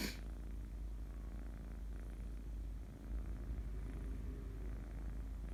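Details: Sleeping kitten purring, a continuous low rumbling purr with brief soft rustling, otherwise a quiet room.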